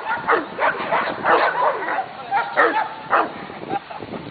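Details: Female Belgian Malinois during a training session at a club, giving sharp barks roughly every half second, alternating with higher yelping whines, with some human voice underneath.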